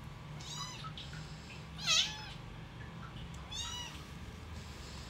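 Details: Newborn kittens crying as their mother cat nurses them: soft, wavering high mews, three in quick sequence, one brief louder squeak in the middle, low hum beneath.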